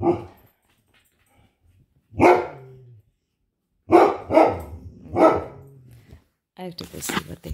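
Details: Great Dane and Poodle inside the home barking at something outside again: one bark, a pause, then a quick run of three barks, followed by a brief burst of higher, noisier sound at the end.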